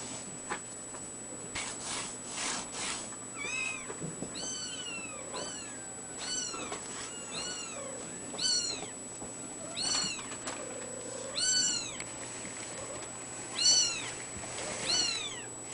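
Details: Ragdoll kitten mewing repeatedly, about ten thin, high, arched mews spaced one to two seconds apart, each rising then falling, over a faint steady high electronic whine.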